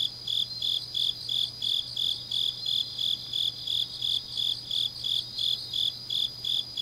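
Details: Autumn night chorus of grass insects recorded in Changnyeong, Gyeongnam, Korea, with clear high pulses repeating roughly three per second over a continuous shrill background trill and a faint low hum.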